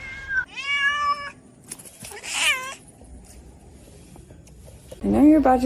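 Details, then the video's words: Domestic cat meowing; a drawn-out, slightly falling meow, then a brief cry, and a final rising-falling meow at the end, with background music. "kitten meowing crying"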